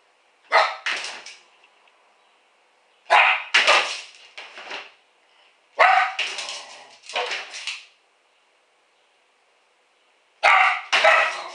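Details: Female pet dog left alone at home, caught by a home camera while getting into the garbage, gives four bursts of sharp barks, mostly doubled, spaced two to three seconds apart, with quiet gaps between.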